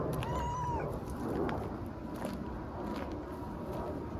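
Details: Young stray cat playing a fighting game with a tiny kitten on an Istanbul street; one clear rising-then-falling meow near the start, then low traffic-like rumble and scattered knocks.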